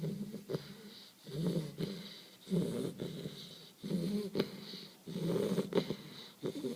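A sleeping Bull Terrier puppy snores with low, wheezy, rattling breaths. The snorts come in uneven bursts roughly every second and a half, with faint clicks between them.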